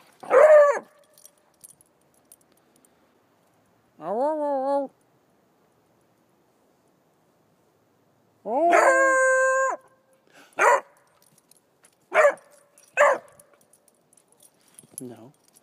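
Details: A young female Redbone Coonhound puppy, described as feisty and baying from a young age, gives several long, drawn-out, rising harmonic baying howls that hold steady, between sharper, shorter yips; a person's voice is briefly heard.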